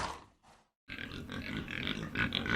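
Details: Pig producing rough, noisy grunts and snorts in a continuous rasping stream after a short pause, with a few higher squeaky notes toward the end.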